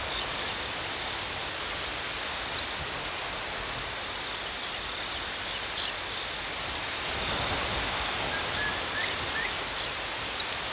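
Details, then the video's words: Crickets in a natural night-like soundscape, high pulsed chirps coming through mainly in the middle section, over a constant hiss, with a brief higher buzzy trill and a few faint lower chirps. "Crickets chirping sounds"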